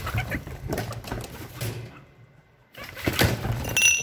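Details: Late-night fight among three six-month-old male guinea pigs in a cage: busy scuffling and knocks, a sudden near-silent pause, then renewed scrabbling ending in a short, thin, high squeal.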